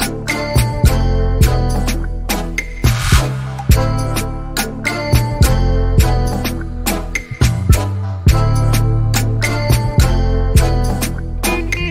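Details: Upbeat music with punchy drums, bass and repeated beats plays throughout, with no animal sounds.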